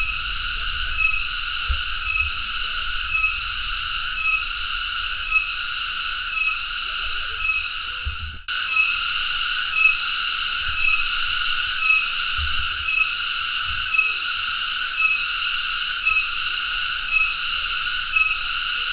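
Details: Cicada (tonggeret): a loud, continuous, harsh high buzz, pulsing in volume about once per second, broken by a brief gap near the middle before resuming steadily.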